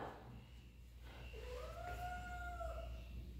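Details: A domestic cat meows indoors while investigating the living-room rug: a single drawn-out tonal call that rises briefly, then holds steady for about a second and a half before fading, over a low steady household hum.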